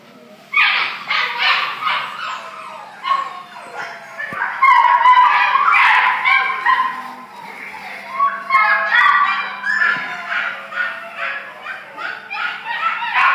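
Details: Orange Spitz dog, filmed 17 January 2013, giving a steady run of high, yelping whines and yips, about two a second with brief pauses, broken by louder squeaky bursts near the middle and end.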